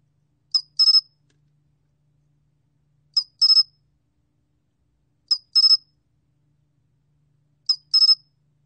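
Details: Song of the 솔귀뚜라미 cricket, a National Institute of Biological Resources recording from 2020: four bursts, each a single sharp pulse then a rapid three-pulse trill, high-pitched and spaced a few seconds apart, no background noise.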